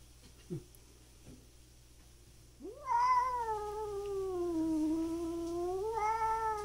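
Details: Feuding stray cats in rural Japan square off again. After faint taps, one cat launches a loud, rich, sustained yowl that dips and swells with a wavering tone for about four seconds.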